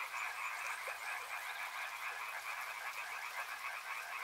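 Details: Many frogs croaking together near a river, fast pulsed calls layered into a continuous dense chorus, with soft hissing noise behind.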